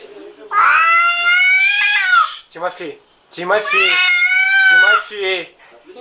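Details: Angry cat indoors: two long, loud, drawn-out complaining meows, each rising then sagging, with short throaty grumbles after each, separated by a brief pause.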